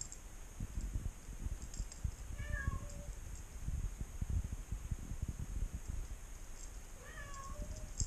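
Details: A 5-week-old female Maine Coon kitten, while hunting, gives two brief, thin meows several seconds apart over a low rumble.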